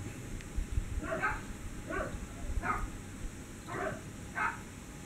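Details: Sunny, a dog, barks after spotting a cat: five short, fairly evenly spaced barks roughly every seven-tenths of a second, heard at a distance over steady low rumble and hiss.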